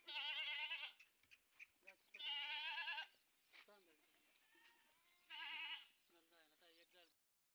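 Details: Sojat bucks from a farm of 130 male goats in Indave, Sakri taluka, Dhule district, raised for Eid. Three loud, harsh, quavering bleats about two seconds apart, with softer shorter bleats and grunts between them.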